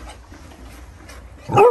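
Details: American Bully dog giving a single short, high whining yelp that bends up and then down, after a second and a half of quiet room hum.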